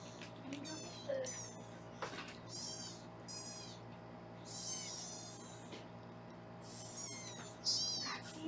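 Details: Foster kittens being weighed indoors in Los Angeles, caught on a round-the-clock kitten cam: a run of thin, very high-pitched mews repeating every second or so, with thumps and faint room hum between them.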